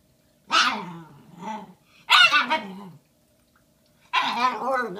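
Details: Shiba Inu puppy Bowie, a female one day short of five months old, vocalizing over a giant Valentine's Day bone on February 14, 2016: three harmonic, bark-like bursts, each opening sharply and then trailing into a lower grumble, set apart by brief silences.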